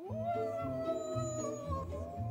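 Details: Gray wolves in a pack enclosure howl in long, steady, smoothly held tones over background music. They are calling as the alpha male leaves the enclosure, communicating that he is leaving the pack.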